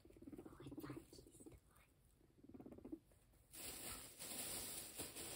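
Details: Pet guinea pig eating grass fed by hand, crunching it; quiet rapid ticking chews in quick bursts during the first three seconds, then a louder rustling hiss takes over near the end.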